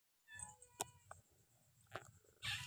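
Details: Cats playing at home: a quiet, short meow with clear harmonics, followed by a few soft clicks and thumps of movement in a quiet room.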